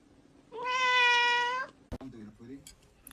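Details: Cat giving one clear sustained meow of about a second, steady and harmonic-rich, followed by a click and faint room noise.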